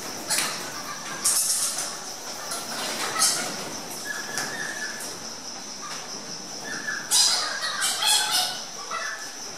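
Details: Egyptian fruit bats in a walk-through bat cave exhibit at Parc Merveilleux push past one another to reach the feeding bowl, giving harsh, scratchy squawks in short irregular bursts over a steady high hiss.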